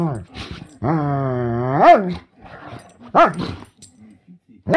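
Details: Two dogs playing indoors, with drawn-out harmonic whining-growling vocalizations whose pitch holds steady and then sweeps sharply upward, followed by shorter rising yelps; a person's voice is also heard.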